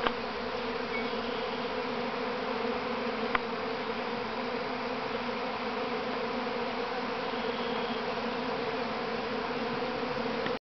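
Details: Massed honey bees buzzing as the first swarm leaves the mother hive at Grass Lake Sanctuary in Manchester, Michigan, May 13, 2012; a constant full drone with a single sharp click midway, ending abruptly.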